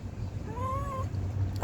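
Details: A stray cat begs for food with a soft, thin meow that rises gently and falls away, followed by a quiet pause and a brief knock at the end over steady low hum.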